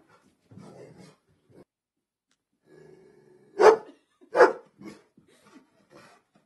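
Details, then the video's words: Bullmastiff named Charlie going nuts and attacking; soft low grumbles lead into two loud, deep barks under a second apart, then a few quieter huffs before silence. "Vicious Bullmastiff Attack"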